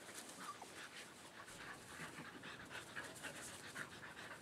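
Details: A dog pants outdoors in a backyard shared with companions Sam, Motley and Baeo on a day of great weather. The breaths are quick, airy and steady, coming several per second with an even hissing quality throughout.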